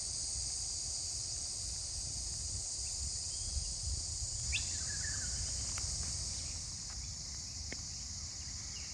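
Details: A chorus of cicadas on a bush walking trail about 30 minutes north of Brisbane, in good weather, keeps up a steady, high, hissing drone, with a brief falling bird chirp midway and low wind rumble underneath.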